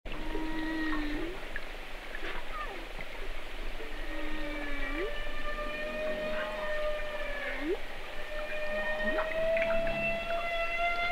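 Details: Humpback whale song: long tonal moans with stacked harmonics, several rising upsweeps and hooked swoops, plus steady higher whistled tones held for seconds over a constant low underwater rumble.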